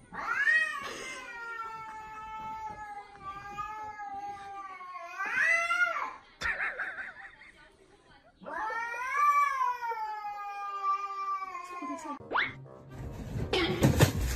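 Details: Kittens give long, drawn-out, wavering meows, each rising sharply then holding a steady wailing tone for several seconds, two long cries separated by a brief pause, ending in clatter and noise.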